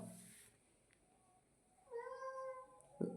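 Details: Domestic cat giving a single soft, clear, tonal meow of about one second after a quiet pause, with a faint tap at the end.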